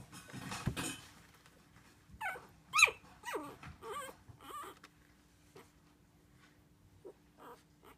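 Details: Havanese puppies two and a half weeks old, indoors: a quick series of thin, high whimpers that slide up and then drop, four or five in a row, after a short rustle, then a few faint squeaks near the end.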